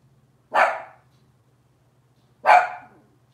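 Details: Two crisp single barks about two seconds apart from a litter of Cavalier King Charles Spaniel puppies, Robin's pups, in a kitchen on a Wednesday morning, with quiet background hum between them.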